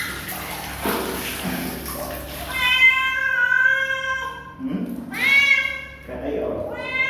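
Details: Kitten meowing in long, bright, harmonic cries that rise and then fall, two main calls and a shorter third, with talking in between and a steady low hum.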